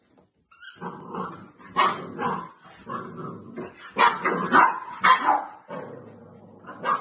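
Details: Shih Tzu dog, indoors and in play, grabbing a toy: a run of yappy, harmonic barks about two per second, some rough and growly, loudest in the middle of the run.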